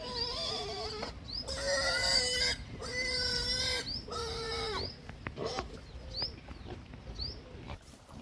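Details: Hungry pig giving long, flat, tonal squeals of about one second each, separated by short pauses, followed by grunts and brief high rising chirps over a low background rumble.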